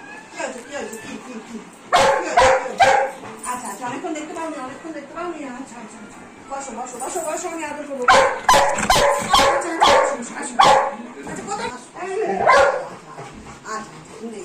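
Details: Pet Golden Retriever female, restless after a whole day without her owner, utters rapid yelping whines and squeaky cries in clusters. A woman speaks over her in Bengali, trying to calm her.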